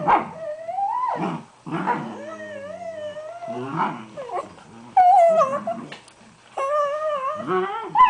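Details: Two Dachshunds squeezed into an igloo bed give wavering, warbling whines and grumbling howls that rise and fall in pitch, odd gremlin-like noises.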